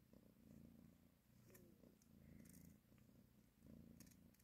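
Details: Rhythmic rumbling purr from a mother cat as she nurses and caresses her kittens, rising and falling in even waves about once per second, with a few faint clicks and a small squeak between breaths.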